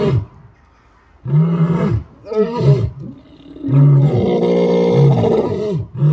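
Lions give deep, rumbling roars that swell and fade in long, throaty bursts.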